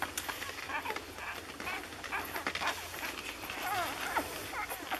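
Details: Six-day-old Lagotto Romagnolo puppies from an A litter in Hamburg, giving thin squeaky whimpers that bend up and down. Several short cries overlap across the five seconds over a bed of rustling and soft background noise.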